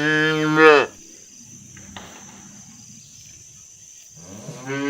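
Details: Herded cattle in the fields call companions to return home to the barn. A loud, steady moo rises at its end and stops sharply, followed by near-silence, then a second moo begins just as the recording ends.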